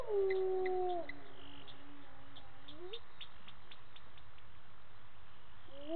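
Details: Spotted hyenas call at a waterhole on Djuma Game Reserve, Sabi Sand, South Africa, at 18:30 on 10/11/18: low, drawn-out tonal calls that slide down, level off, then rise, while a scrub hare drinks.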